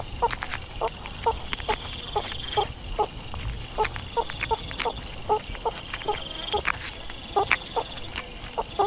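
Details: Meerkat giving a long run of brief, clipped chirping notes at a quick, fairly even pace, with clicks, scraping and a steady background whine.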